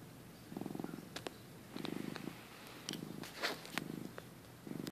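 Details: Napping male house cat purring, filmed in early 2015; soft low purr pulses in repeated bursts about once a second, broken by scattered light clicks and rustling noises.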